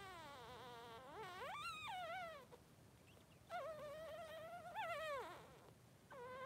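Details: Three-day-old Blenheim Cavalier King Charles Spaniel puppy, one of Pom-Pom's two newborn boys, gives loud wavering cries that swoop upward and then slide down, several in a row with short gaps, inside a puppy pen.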